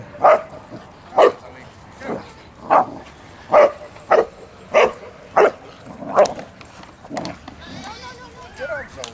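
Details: Boxers clowning around and playing at a Boxer meetup in Toronto on October 4, 2009: a series of about nine sharp, loud barks spaced roughly every second, followed by faint voices.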